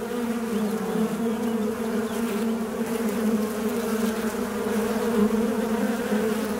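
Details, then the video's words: A fly buzzes without pause. The low, rough drone has a clear overtone above it, with small wobbles in pitch and an even volume throughout. "Звук мухи. Жужжание мухи."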